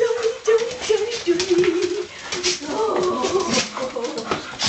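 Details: Soft Coated Wheaten Terriers, five dogs indoors, giving the Wheaten greeting: high whimpering, whining tones that slide and waver, with a human voice mixed in.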